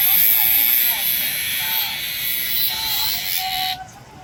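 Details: Korean cicada producing a steady shrill buzz, with faint low voices beneath, cutting off abruptly near the end.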